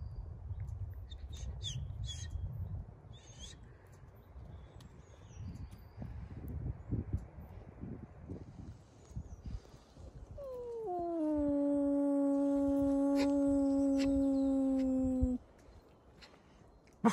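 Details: Wolf kept at the zoo beside a hotel in Järvsö, Sweden, giving one long howl in the second half that drops briefly, then holds steady and ends abruptly, after a stretch of low rustling and faint background noise.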